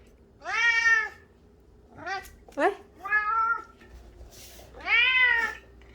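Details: Indoor cat obsessed with flower petals gives loud, drawn-out meows, each a harmonic-rich wail rising then falling, with short squeaky chirps between; a person exclaims in Korean at the start.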